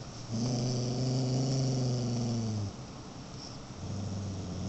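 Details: A Beagle mix growling: a low, steady rumbling growl with a harmonic stack for about two and a half seconds, then a quieter pause and a second low rumble starting toward the end.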